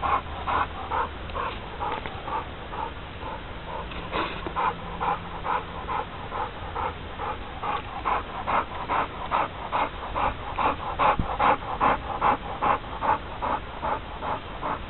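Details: Four-year-old male American Bulldog named Billican panting steadily, breathy rhythmic pulses about two to three per second, growing stronger toward the end, with a brief low hum in the background.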